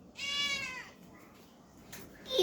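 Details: Indoor cat that wants to eat fish gives one short, tonal meow lasting about half a second, then a pause and a brief burst of a woman's voice offering it cooked fish.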